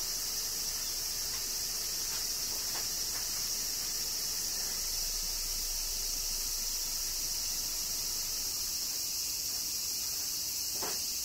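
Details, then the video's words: A steady wall of cicada buzzing in Kyoto, Japan, during summer rain; the high droning stays even for eleven seconds while a few faint clicks and soft patters surface beneath it. "Cicadas Summer Rain - Zen Sounds of Kyoto, Japan"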